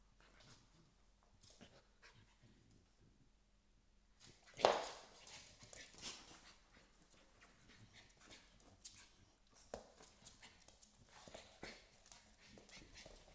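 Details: An American Staffordshire Terrier puppy and a smaller Staffordshire Bull Terrier puppy play; one gives a sharp yelp amid soft scuffling and panting in a quiet room.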